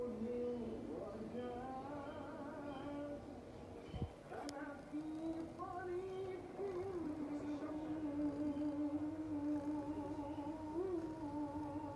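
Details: Soft sung melody with sustained wavering notes over quiet background music, interrupted by a single knock; no animal sounds present.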